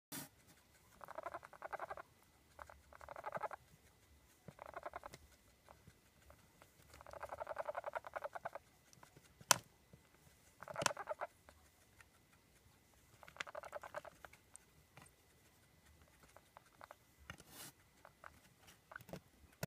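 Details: Hand-raised baby male guinea pig happily purring while eating breakfast indoors; repeated short buzzy bursts about a second long, spaced irregularly with pauses, plus faint clicks and patter of chewing between them.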